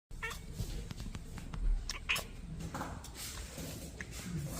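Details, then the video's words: Two British Shorthair kittens indoors, one chattering at a bird while the other interrupts; short chirpy, bird-like cat calls rising and breaking off, over a steady low room rumble with scattered clicks and taps. "Talking Kittens - Who speaks better bird?"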